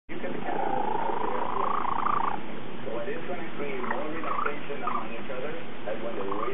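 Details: Domestic cat purring loudly while another cat washes and grooms it; a steady low rumbling purr runs throughout, with a person's voice talking over it.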